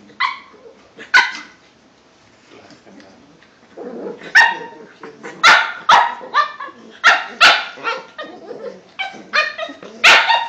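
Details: A pair of Cavalier King Charles Spaniels, aged five months and two years, keeping each other busy in play; a quiet start with faint murmur, then a run of loud, bright barks and yips roughly twice a second.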